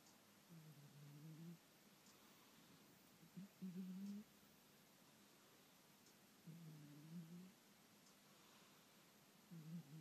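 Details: Domestic cat fast asleep indoors, snoring softly: low, droning, hummed breaths lasting about a second each, repeating roughly every three seconds, with faint room hiss between them.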